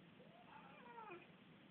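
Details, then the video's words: Domestic cat named Luksus, described as annoying and fighting with another cat, Missy: a short wavering meow with gliding harmonics, rising then falling over about a second, against a steady low background hiss. "My annoying cat pt. 2"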